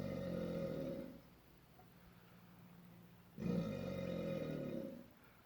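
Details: Angry alligator at Hoorah Creek, Florida, making strange noises: two long, deep rumbling growls about a second each, with a harmonic-rich low buzz and a quiet gap between them.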